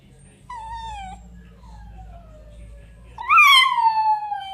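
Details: Miniature dachshund howling: a thin tone that sinks slowly in pitch for about two seconds, then a louder howl that rises sharply, wavers and trails down into a sustained note, over a low background hum.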